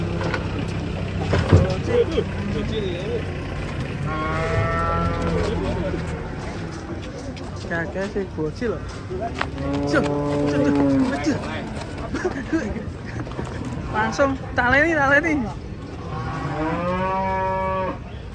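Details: Cattle lowing several times, drawn-out harmonic moos at roughly four to five second intervals, heard over steady background music and some talk.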